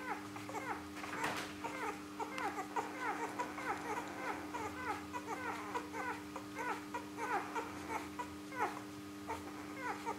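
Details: Three-day-old Rhodesian Ridgeback puppies of Litter B, born 21 September 2013 in Perth, Western Australia, feeding: a steady stream of overlapping short, high, downward-sliding squeaks and whines, several per second, over a constant low hum.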